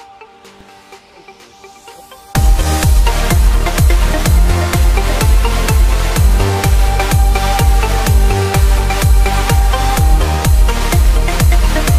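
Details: Quiet low hum for two seconds, then loud electronic dance music with a steady thumping beat of about two per second and bright synth layers.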